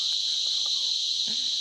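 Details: Cicadas in cicada season in Armando Bermúdez National Park, Ciénaga de Manabao, Dominican Republic, in high humid forest, give a loud, unbroken, high-pitched hissing chorus, with a faint voice beneath.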